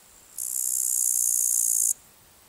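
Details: A male upland green bush-cricket (Tettigonia cantans) gives its calling song, a continuous, high-pitched, hissing buzz; recorded 14 August 2019 at Palu, Trentino, Italy.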